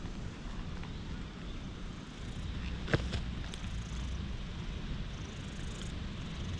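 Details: Stray cat clinging to legs outdoors in warm dappled sunlight, filmed on a GoPro HERO8: a steady, low rumbling purr runs throughout, with a brief sharp knock near three seconds and faint outdoor background hiss.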